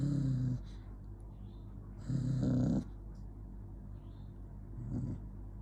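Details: Growling from an angry dog called Jonggi: a short low rumble, then a longer, rougher growl that swells at its end, followed by a faint huff, over a steady low hum.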